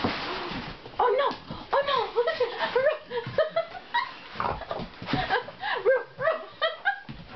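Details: Bubba, a 2 1/2-year-old Johnson American Bulldog, receives a big stuffed animal as a Christmas gift from Santa. He gives a run of rapid, high, wavering whines and yips, with music and people's voices alongside.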